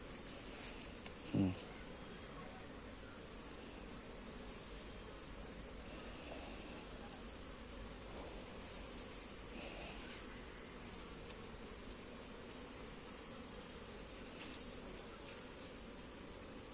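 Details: Honey bees droning steadily while frames of comb are shifted between hive boxes; a long, even hum under a constant high whine, broken by a thump early on and a click late.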